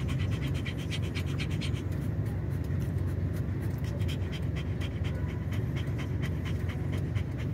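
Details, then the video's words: Dog stressed by noise outside as a tyre is changed, panting hard: sharp, regular, airy huffs repeated several times a second without pause, with a faint low hum beneath. "Magpapalit lang ng Gulong ,ingay s labas, na stress si Owchin #dog"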